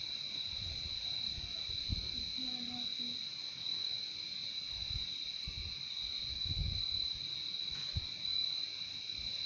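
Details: Continuous cricket chorus, a high, even, ringing trill sustained without pause, with a quieter lower tone under it and faint low thuds and murmurs in the background.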